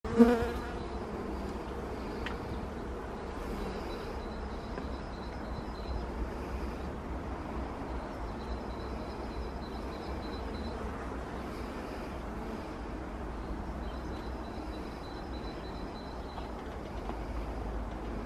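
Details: Western honey bees at an overwintered nucleus colony being given winter feed hum steadily as a low, dense buzz from many wings; the beekeeper is stung without gloves.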